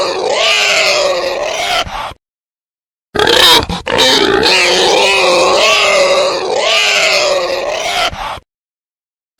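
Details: Male wild boar calling: loud, harsh, wavering squeals rich in overtones, sustained for about two seconds at a time, with abrupt silent breaks between bursts.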